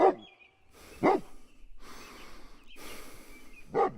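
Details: Mother dog and puppies in a playful outdoor toy battle; three sharp barks, widely spaced, with quiet gaps and faint chirping in the background.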